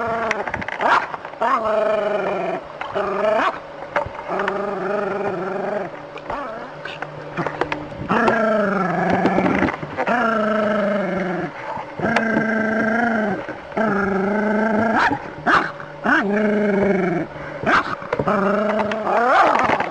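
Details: Dog facing a snake, vocalizing almost without pause: sustained, quavering harmonic howl-like cries, each lasting one to two seconds, separated by brief gaps, with some human speech in the background.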